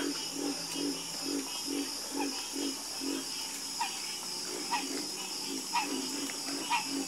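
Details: Several frogs croak together, deep pulsed croaks repeating steadily in the first half, then sharper, higher chirping calls every second or so over a continuous high-pitched hum.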